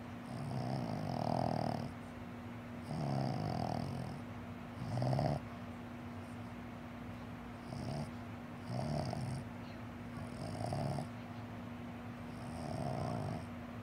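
A Boston Terrier snores in low, rumbling bursts, each breath rasping for about a second.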